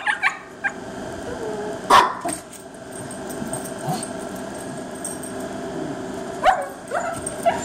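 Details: Dog on seeing its first squirrel, giving scattered short barks and yips spaced a few seconds apart, against a constant background hum.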